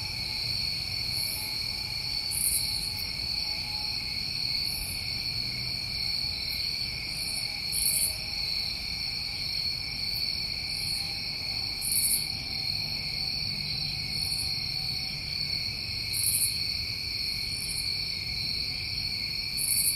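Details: A thick cricket chorus from New England summertime rings without pause in high layered tones, punctuated by frequent brief, very high buzzy chirps every one to two seconds, with a faint low hum below.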